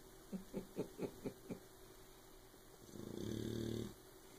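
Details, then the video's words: Sleeping puppy Oberon, whose loud snores keep Tyson awake, makes a run of six short puffing breaths about a quarter second apart, then one long, buzzing, low snore near the end. "Snoring puppy"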